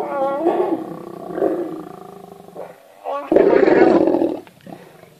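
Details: Wild lions during mating season, heard on a safari drive: harsh, rasping roar-growls with strong harmonics in several bursts, the longest and loudest lasting about a second near the end, with quieter growls between.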